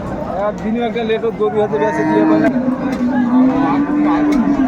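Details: Improved-breed dairy cows with calves at Ambari livestock market in Dinajpur, 29 April 2024: a long, steady low moo held about two seconds after shorter lowing, with crowd murmur and market bustle behind.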